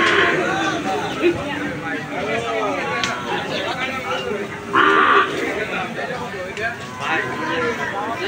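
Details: Calves and cattle at the Aricha cattle market, with several low moos with rising and falling tones, heard amid crowd chatter and people talking throughout.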